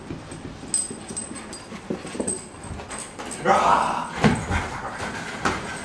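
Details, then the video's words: Whippet puppy stirred up into excited play, with scattered soft whimpers and yips, then a louder, drawn-out whine-growl midway, mixed with human speech throughout. "Stirring up a Whippet Puppy"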